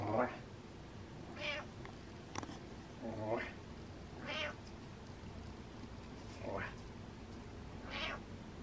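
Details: Butters, a happy cat lying at ease, meows repeatedly: six or so short, varied mews about every one to two seconds, some low and throaty, others higher, with a woman speaking softly between them.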